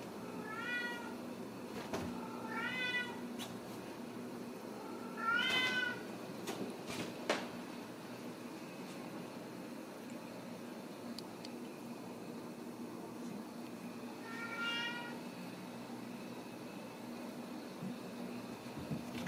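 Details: Ragdoll kittens born and raised in a home in central Kansas, kept without cages; four clear, high, harmonic meows, around the first, third, sixth and fifteenth seconds, over a soft steady hum with quiet stretches between.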